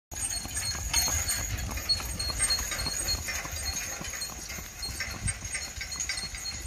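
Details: Haflinger gelding being driven, its hooves giving a steady run of quick, sharp clip-clop knocks across the whole stretch over a low rumble, with thin high ringing tones held steadily above.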